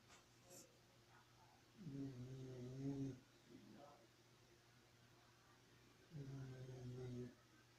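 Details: Sleeping dog Xena snores twice, each a deep, rattling, harmonic snore of about a second, separated by four seconds of quiet breathing and faint indoor hum, with a brief soft rustle between them.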